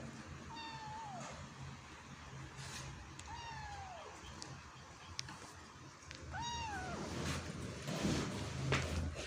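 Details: Kitten trying to climb out of a hole, giving three clear descending meows spaced about three seconds apart, each with a bright harmonic stack, over low rumbling background noise and a few clicks.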